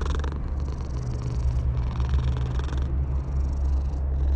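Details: Stray cat on top of a wall, purring while being petted; a steady rhythmic rumble in pulses with short breaks, over a constant low traffic hum.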